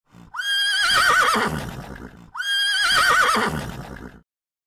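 Two matching horse whinnies follow one another closely. Each begins with a loud, high note and then slides downward in a shaky, vibrating trill before fading into a breathy finish.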